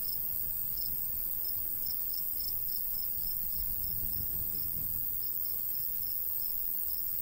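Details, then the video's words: Crickets in summer countryside beside a golden wheat field, short high chirps repeated steadily about every half second, over a low rumble of light breeze. "Countryside/cricket sounds"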